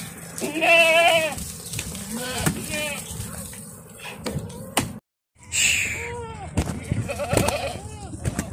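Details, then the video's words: Bishi goats in a herd of sixty with thirty kids, coastal area north of Al Qunfudhah. Quavering, wavering bleats come early and again after a brief silence, with men talking and clattering noise throughout. "ماعز بيشيات"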